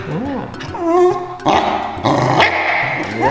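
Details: Pet corgi grumbles in wavering, whiny tones that slide up and down while its owner holds its peanut toy and tells it to sit, calling it singing. A woman's speech overlaps the dog's voice.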